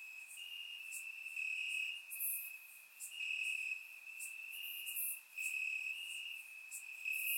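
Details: Crickets trilling at night in summer grass, Bulgaria, surround-miked: an unbroken high, ringing chirp with regular loudness dips every couple of seconds and a haze of higher insect sounds.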